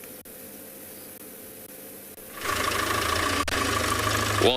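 A vehicle engine idles and revs up halfway through, with a little speech and no animal voice.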